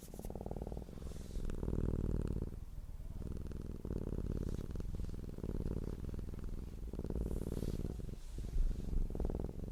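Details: Purring cat: low humming rumble that comes in bursts of two to three seconds separated by short breathing gaps, the vibration fast and even throughout.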